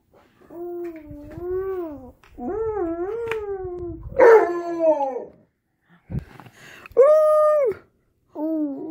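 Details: Alaskan Malamute named Tonka howling indoors alongside a baby girl who is warming up to him and mimicking him; long wavering, tonal howls of one to two seconds, rising and falling, repeated after short pauses, with a brief voice between.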